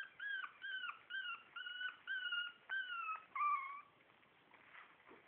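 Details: Shih Tzu litter A at four weeks: a puppy gives about seven clear, evenly spaced whines, each a short level or slightly falling tone, then one lower drawn-out whimper before it fades into faint background noise.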